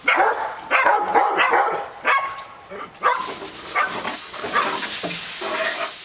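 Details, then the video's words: Dogs barking on Park Drive, sharp harmonic barks spaced about a second apart, then softer, irregular barking under a rising background hiss. "Barking Dogs"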